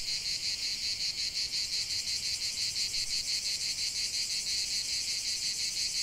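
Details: Cicadas singing in nature: a dense, shrill, buzzing chorus pulsing about three times a second, steady throughout with no other clear sounds.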